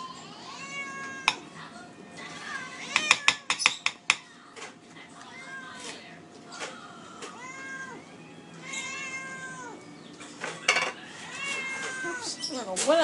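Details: Two hungry pet cats meow persistently indoors: repeated rising-and-falling meows, some drawn out and wavering, mixed with sharp clatters and knocks and a person speaking softly to them.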